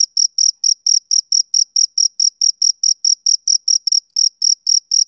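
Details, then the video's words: Rhythmic chirps of a male cricket on a summer evening: bright, high-pitched pulses repeated about four times a second, steady and uninterrupted throughout, in a quiet setting. "Cricket Chirping Sound Effect"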